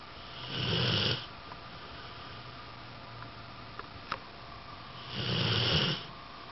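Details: A male Rottweiler, totally zonked out asleep, snores deeply: a low, rattling inhale with a breathy hiss, then a long pause before the next. A few faint clicks break the quiet room noise between breaths.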